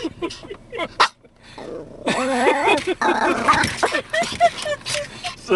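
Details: Brussels Griffon dog reacting to moving windshield wipers: quiet start with a few sharp sounds, then a sustained run of barks and wavering whining yelps over a noisy background with people talking.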